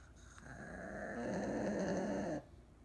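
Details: An old, care-dependent Pug sleeps deeply indoors with its eyes wide open, giving one long, rough, rasping snore of about two seconds that swells, then cuts off abruptly into quiet room tone.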